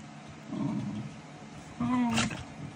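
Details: Corgis play fighting lazily indoors: a low, rough growl early on, then a louder, tonal, whining growl near the end, lasting about half a second.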